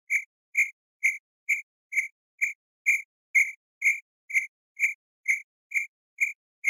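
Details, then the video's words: Cricket at a campsite repeating crisp, high chirps about twice a second, fourteen in a row, very regular, with no wind or other animals. "CAMPING CRICKETS"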